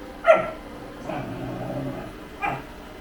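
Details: A Great Pyrenees kept as a pet in Thailand gives a short yelping bark, then a softer, lower woof about a second later and another sharp bark near the end, over a steady low background hum.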